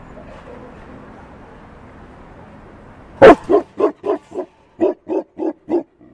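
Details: Tibetan Mastiff at a dog show in China: after a quiet start, a burst of nine deep, loud barks in quick succession, roughly four a second with a short gap midway, over faint background murmur.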